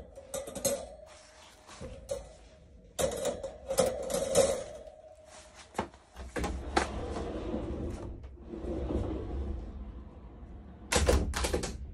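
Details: Quiet indoor scene with soft music, clattering and knocking of household objects, and faint speech; no animal voice is heard.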